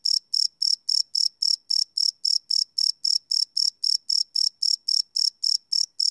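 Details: Crickets calling after dark, field-recorded live on a Sony PCM D100: a regular run of piercing, high trill-like chirps, about three to four per second, unbroken and without any competing noise.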